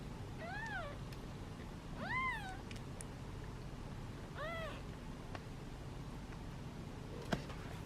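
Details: Hungry kittens, part of a litter of seven, sit in a basket waiting to be fed; three clear arched meows in the first five seconds, then quiet with a brief click near the end.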